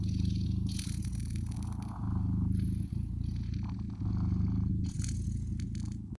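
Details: Blue British Shorthair kittens purring: a steady, deep rumbling throb that swells and eases with each breath cycle, roughly every two seconds, with soft rustling and scratching noises above.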